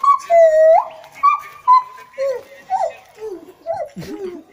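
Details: Song of a gibbon at a Thai monkey temple: clear whooping notes that leap up and down, long held tones followed by shorter swooping calls that gradually drop in pitch and fade, with little else audible.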